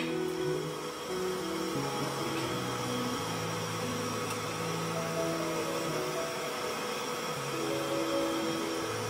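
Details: Soft music with sustained tones plays over a continuous mechanical hum, like a running engine or appliance.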